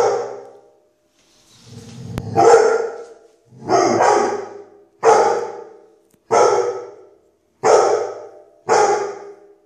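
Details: Listed 'fighting dog' barking steadily indoors, seven loud rasping barks roughly every second to second and a half, each with a sharp onset and a quick fade into silence.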